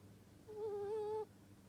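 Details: Single snore from a sleeping ferret: a smooth, slightly wavering whistled note held for under a second over a low indoor hum.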